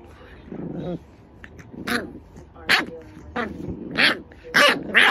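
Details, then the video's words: Dreaming French Bulldog puppy in a nightmare: a low whine, then a run of short, breathy muffled woofs and yips coming roughly every half second, growing louder toward the end. "Nightmare French bulldog puppy"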